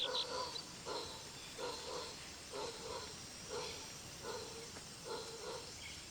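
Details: Distant calling of a lone male howler monkey, banished from his family, in Brazilian rainforest; the call carries almost 5 kilometers. Repeated hoarse, grunting pulses about every 0.7 seconds, with faint birds and insects chirping higher above.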